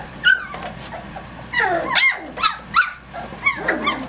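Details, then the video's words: Egypt's puppies at three weeks three days, roughhousing at six in the morning; sharp high yelps and a longer whining squeal ring out over fainter background whimpers, roughly every half second toward the end. "Egypt's ACTIVE Puppies 3 weeks 3 days"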